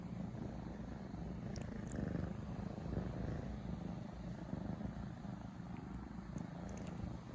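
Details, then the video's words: Two 3-month-old kittens purr steadily and affectionately beside their sleeping owner at wake-up time, a low continuous rumble pulsing with each breath, loud as little machines. "Wake up call from two purring kittens (3 months old). SO CUTE!!"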